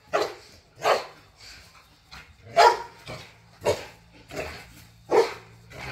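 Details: Rough play in a back yard by pit bulls and a Malinois, with loud barks repeated roughly every second, interspersed with lower growly noises.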